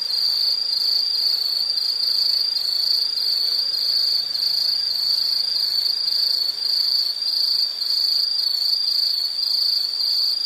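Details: Continuous shrill insect chorus from a relaxing nature recording: a dense high trill pulsing roughly twice a second, steady throughout with faint low background.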